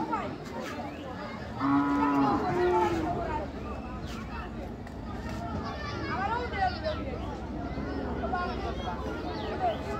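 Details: Cattle at a border market in Jaintiapur, Sylhet, Bangladesh, before Eid al-Adha; a long steady low moo followed by a second shorter one, amid a loud crowd of people chattering and shouting.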